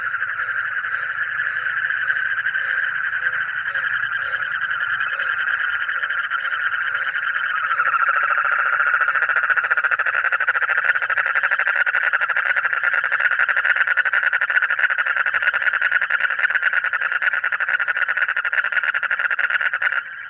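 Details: Frogs giving a fast, continuous rattling trill of rapid pulses, dense and mid-pitched. The trill swells richer from about eight seconds and carries on steadily to the end, with a faint low murmur underneath.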